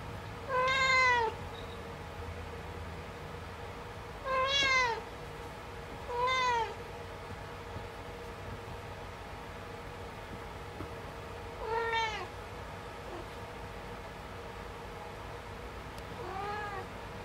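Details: Kitten indoors working at using the litter box, giving five clear, short meows with rich harmonics, spaced irregularly a few seconds apart, over a steady low room hum.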